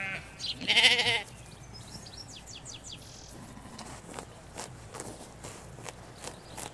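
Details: Ewes and lambs grazing a Hampshire field, recorded in stereo from a hedge: one brief wavering bleat under a second long, followed by scattered birdsong chirps and soft countryside background.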